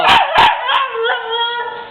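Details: Siberian Husky puppy, female, crying when scolded and called a crybaby by her owner; two short yelping bursts open a long, wavering, high whine that slowly falls and fades.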